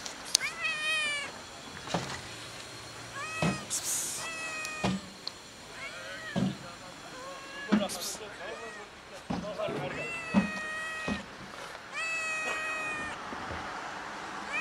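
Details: Solitary fluffy male cat with an unusual coat, perched on a gas enclosure outdoors and waiting to be fed, meowing again and again: about a dozen short, arching meows with brief pauses, plus scattered clicks and rustles.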